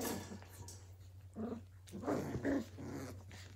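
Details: Playing Australian Cattle Dog puppies, Willow and Tory's 2020 litter at Tin Roof ACDs; three short, gruff growl bursts about half a second apart in the second half, earlier a noisy scuffle, with a steady background hum.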